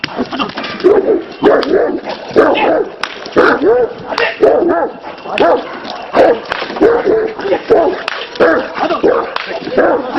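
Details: Kangal dog pulling a 1.5-tonne car, showing its strength; short whining yelps and barks repeat throughout while men talk close by.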